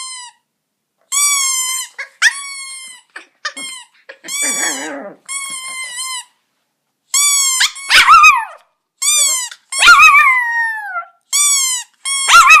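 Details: Pet Chihuahua, recorded August 2014, howls back at a squeaky toy: bursts of piercing squeaks answered by drawn-out, sliding howls, with short pauses and a scratchy rustle in between.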